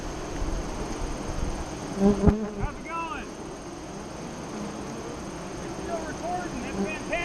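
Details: Droning of honey bees at a hive entrance near Lyons, Nebraska, filmed during the 2017 eclipse in the afternoon; a low, continuous buzz with a louder pass early on, while a few short chirping bird notes sound in the background.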